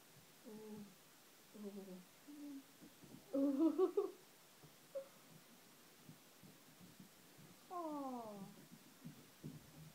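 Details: Kittens fighting over bed space indoors utter a series of wavering, harmonic growls and yowls. A louder, strained cry comes near the middle, and a drawn-out descending wail follows later, with short quiet gaps between the calls.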